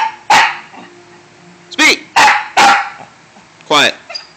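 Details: Pet dog Dante answering repeated commands to speak and to hush: five loud, short barks and yelps, some sliding downward in pitch, in an uneven run with brief pauses, while a person's voice murmurs commands in the background.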